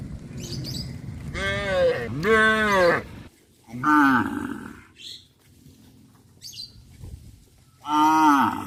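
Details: Several cow moos in a row, each drawn-out and harmonically rich, some rising and then falling in pitch, separated by short quiet gaps, with faint higher chirps in between.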